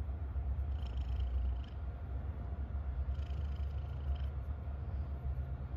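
A domestic cat purrs with a steady, deep rumble that pulses softly with each breath.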